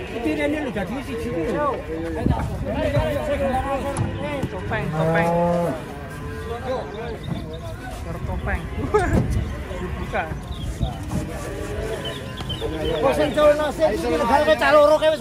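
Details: Cattle coming down off a truck, with several overlapping low moos, one deep steady bellow in the middle, and higher, shorter lowing calls, mixed with a few voices and crowd noise.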